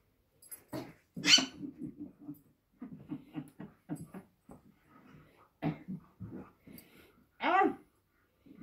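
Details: Young Irish Wolfhound puppy playing rough indoors with a person, giving rapid runs of low, throaty growling pulses, with a few sharper high yelping sweeps, while people laugh and talk in a small room.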